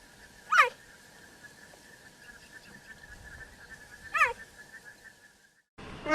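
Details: Cheetah uttering two short, bird-like chirps that drop quickly in pitch, about three and a half seconds apart, over a steady faint hum, with a brief louder call starting at the very end.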